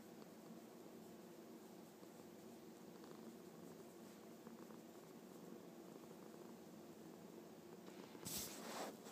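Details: Happy domestic cat purring indoors, a steady low rumbling drone with faint rhythmic pulsing throughout, ending with a short burst of rustling noise.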